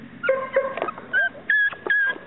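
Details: Several Chesapeake Bay Retriever pups giving thin, high whines and yips, some notes held steady and others sliding upward, repeated in quick short bursts over a faint indoor background.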